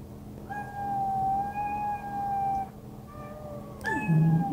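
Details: Domestic cats: one very long, level meow lasting about two seconds, followed by a shorter lower meow and a final louder cry that ends in a deep falling sound, over a low hum.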